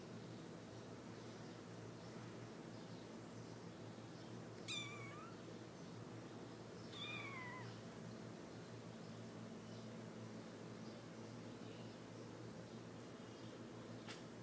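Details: Three-week-old Himalayan kittens give two thin, high meows, each with a quick rise and fall in pitch.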